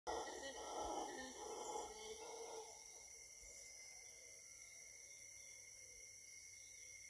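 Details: Howler monkey in Costa Rican jungle giving a distant, rough, roaring howl over the first few seconds, then fading, against a steady high whine of cicadas and other insects.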